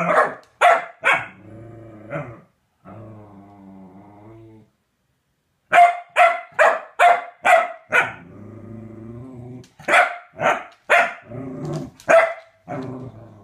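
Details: Corgi named Chunk E. Sausage with a femur bone: sharp repeated barks in bursts, interspersed with low rumbling growls, loud then quiet gaps, barks returning in quick runs.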